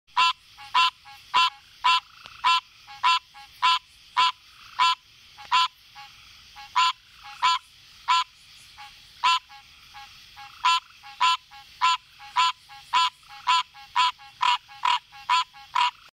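A green tree frog gives loud, nasal honking notes, repeated about twice a second.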